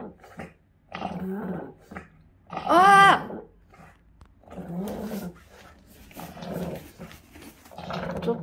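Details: Pug with encephalitis during a recurring seizure, indoors in a small room: low growling, rough grunting bursts, and one high, strained whine with stacked overtones near the three-second mark.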